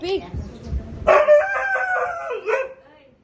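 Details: A Siberian Husky gives a brief, rich howl that holds steady, then dips and rises again, prompted by a person urging it to "speak."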